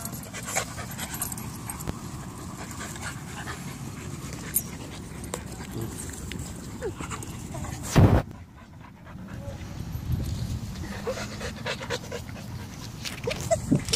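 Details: Six, a five-month-old Boston Terrier puppy, play-fighting with four-month-old Luna; steady, rough, breathy panting and scuffling runs throughout, broken by a sharp thump about two-thirds through, then a brief hush before the panting resumes.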